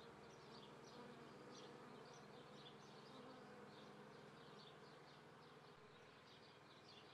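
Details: Honey bees in May swarming season at an apiary near Treviso, Italy, morning of 22 May 2010 at 9:30: a dense, steady buzzing hum of many bees, with faint short chirps above.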